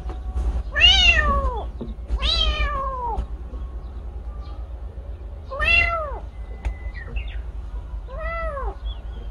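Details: A motherless kitten cries four times in loud, arched meows. Each rises and then falls, spaced a few seconds apart and carrying a bright harmonic tone. A low background hum persists throughout.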